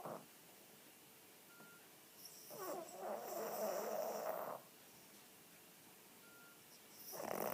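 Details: Snoring pet Cavalier King Charles Spaniel, female, 9 kg and somewhat overweight, asleep with her eyes open; a short faint snort, then a two-second rattling snore, a pause, and another snore beginning at the end.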